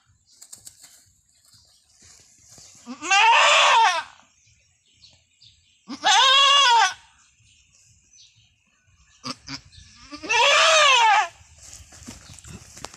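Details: Anime, a female goat with long horns, during her painful first birth on a small backyard farm, gives three drawn-out, wavering bleats spaced roughly three to four seconds apart over soft background rustling.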